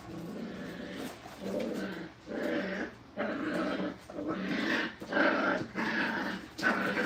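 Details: Brittany puppies in crate and tunnel training at a kennel, indoors: repeated whiny, growly vocal bursts about once a second, each lasting under a second, with short quiet gaps between.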